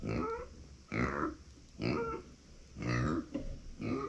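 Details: Female micro pig born September 2020, crying out when nobody is beside her: five short, nasal, harmonic squealing calls, each under half a second, repeated about once a second in a quiet room.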